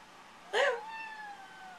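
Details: Egyptian Mau cat, a male kept indoors, meowing back at his owners during a flash-card reading game; one sharp, bright meow followed by a long, fading, slightly falling tone, with quiet room background.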